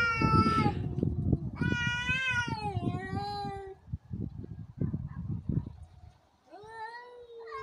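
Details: Fighting cats trade drawn-out harmonic yowls, one long wailing cry in the middle and a rising howl at the end, mixed with heavy low rustling and thumping throughout.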